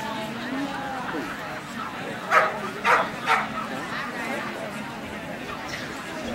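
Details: Kerry Blue Terrier at the EKBTC Eastern Specialty 2009 dog show: three sharp barks in quick succession, rising out of steady background chatter and indoor crowd noise.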